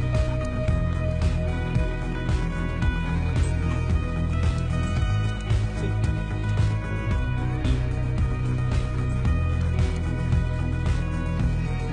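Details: Background music with guitar-like tones over a low rumble, with faint speech; no animal calls are heard.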